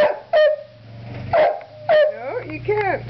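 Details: Border Collies kept in the house crying to go outside during snow plowing: several short rising-falling whimpers and yelps, ending in wavering whines, over a steady low engine rumble, with a woman's voice scolding nearby.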